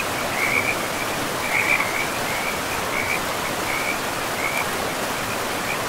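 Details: Frogs at a forest river, the woodland pristine and mossy; brief high rattling croaks repeat roughly once a second, a few louder than others, against the continuous hiss of moving water.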